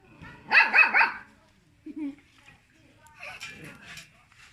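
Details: A little pet dog barks at people in a quick run of three sharp yaps, then falls quiet apart from soft rustling and a faint low voice.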